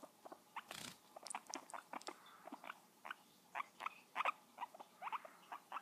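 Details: A guinea pig during 'kisses' makes dense, rapid squeaky chirps and clicking nibble sounds, several per second, in a quiet indoor room.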